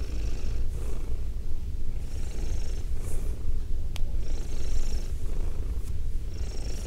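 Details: A female domestic cat purring, recorded indoors with binaural microphones: a steady, deep rumbling drone, with soft breathy hisses rising and fading about every two seconds and one sharp click midway.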